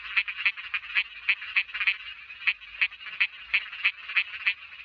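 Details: Small frog calling: rapid, clicky, rasping croaks repeated about three times a second in uneven bursts, bright and high-pitched with no other sounds.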